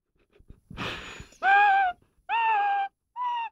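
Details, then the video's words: Twelve-month-old Rottweiler singing one morning: a breathy huffing intake, then three drawn-out, tonal howling notes each about half a second long, the last one shorter and softer, with brief silences between them. "Young Rottweiler can sing!"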